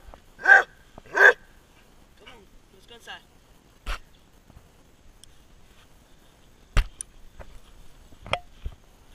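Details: A Basset Hound barking and running gives two deep, full barks in quick succession, followed by scattered thumps and clicks.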